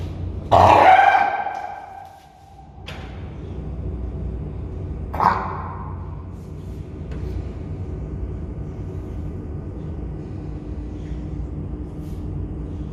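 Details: South American fur seal mother Apollo and her pup, born 16 June 2024, both drowsy in a backyard zoo enclosure, the pup on a slatted board reacting to her call: one loud, harsh, harmonic bellow of about two seconds, a shorter cry near five seconds, then steady hum.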